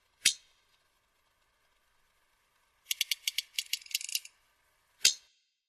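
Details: Off Dominica, a toothed sperm whale produces codas, click sequences used for echolocation and clan identity and able to top 200 dB up close. A loud single click is followed by a quick burst of a dozen or so dry clicks, then another loud click.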